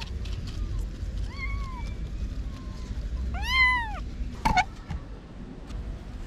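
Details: Kittens about six to eight weeks old, their mother missing for a week, found by a parking garage gate and moved thirty meters to safety. A few thin rising-falling meows, then one loud arched meow, over low traffic rumble.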